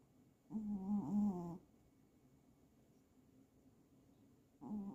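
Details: A domestic cat snores in a slow rhythm. One low, rattling, droning breath lasts about a second and dips in pitch midway. A long quiet gap follows, then the next snore begins. No other sounds stand out.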